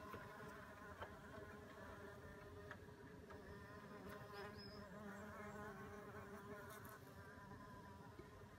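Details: Back-yard mason bees on a warm April 2016 spring day, with a bumble bee about; continuous low buzzing hum of flying bees, fairly even in loudness, a faint short chirp near the middle.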